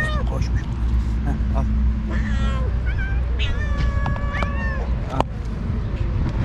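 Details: Rival alpha strays leading two cat groups on the cat island argue with each other while the rest of the cats eat. Short rising meows and held wavering cries mix with other voices and a low outdoor rumble.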